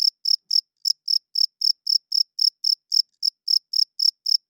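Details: Cricket chirping loudly at night, a clean run of short high-pitched pulses repeated about four times per second, steady and unbroken, with no other sounds behind it.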